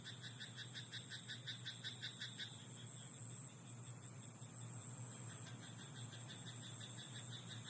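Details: Frog croaking at night in a rice paddy: a fast series of short, even, pulsed croaks, about three a second, for two and a half seconds, then fading to faint distant calls over a steady low hum.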